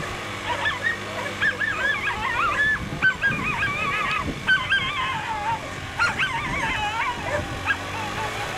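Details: Female whippets at a 2019 race, second run: overlapping high, wavering whines and short yelps in quick succession from excited dogs, with a steady low hum beneath.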